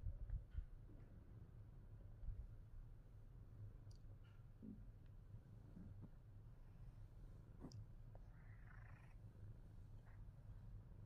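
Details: Fat Boy, a Himalayan Persian cat, purring quietly: a steady low rumble continues throughout, with faint clicks and a brief soft rustle near the end.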